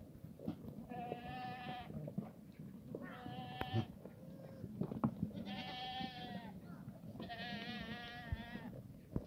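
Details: Black goats in the farm yard of a farm in Gimhae, South Gyeongsang, South Korea, on a sunny Sunday morning, 31 March 2019: four wavering, nasal bleats roughly every two seconds, each about a second long, with low yard noise and soft knocks between.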